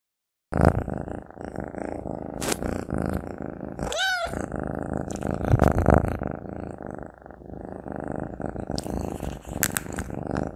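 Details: A Maine Coon cat eats sausage close-up, with wet chewing and sharp crunchy clicks over a continuous low, purr-like rumble; a single short rising-and-falling trill breaks in partway through.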